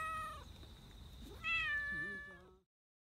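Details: A black Persian park community cat that looks angry but is actually happy, rubbing affectionately, gives a short meow, then a longer, bright, steady meow that fades.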